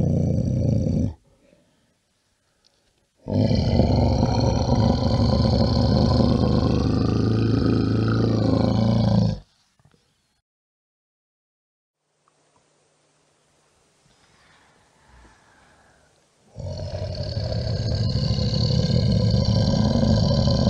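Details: Brown bear roaring in three long bursts: a short one at the start, a sustained deep, raspy roar of about six seconds, then another heavy roar at the end, separated by near-silent gaps with faint rustling.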